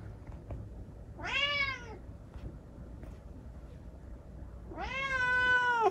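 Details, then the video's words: Rescued kitten, lame in one leg after an accident, talking at night: two drawn-out, tonal meows about three seconds apart, the first arching up and down, the second longer, holding steady before dropping at the end, over quiet room hiss. "夜のおしゃべりネコ。Talking cat at night.在晚上说话的猫。"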